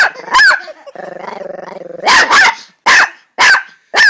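A Chihuahua gives a rough, pulsing growl between sharp, high-pitched barks.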